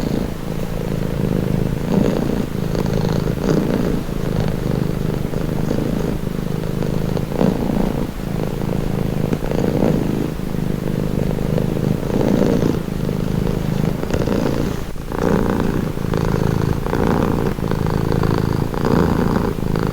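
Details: Calming purr from a domestic cat, deep and rumbling, its intensity waxing and waning in regular breath cycles around every one to two seconds, steady throughout.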